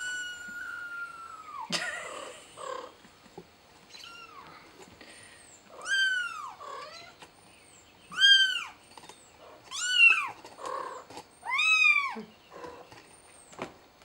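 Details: Young cat Billy, stuck and calling for help, gives a faint opening cry, then a series of loud piercing arched meows spaced about two seconds apart, each rising steeply and dropping away, with a sharp click near the start.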